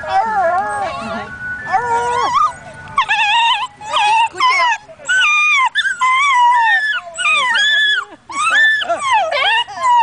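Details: Two basenjis at a picnic in Perth, Australia, sing along to a tune, yodelling in wavering, rising and falling bursts with quick breaks between phrases.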